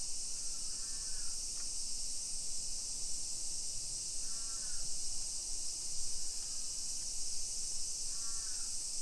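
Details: Unbroken high buzzing of summer cicadas over a modern hillside neighbourhood in Nisshin, Aichi, Japan, early afternoon on 28 July 2021, joined by four separate cawing crow calls spaced roughly two seconds apart.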